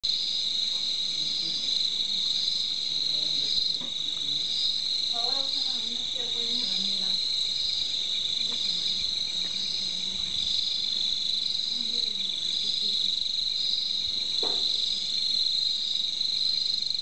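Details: Crickets in Quebradanegra, Cundinamarca, give a dense, steady, high-pitched trilling chorus that never lets up, with soft, indistinct human voices drifting in and out beneath the insect sound.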